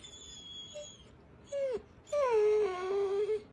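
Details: Chocolate Labrador Retriever named William saying good morning: a soft short whine, then a sliding falling note and a longer wavering moaning tone, indoors with quiet background hiss.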